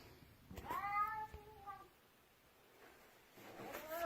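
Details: Pet cat refusing to let its owner pass down the stairs gives a curved, rising-falling meow near one second, a short second note after, then a quiet gap and a new meow starting at the end.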